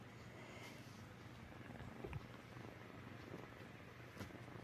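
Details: Blue-eyed female kitten held close while playing and trying to catch and chew beads on a T-shirt, purring in a faint, steady low rumble that runs unbroken throughout, with a few soft clicks and rustles over it.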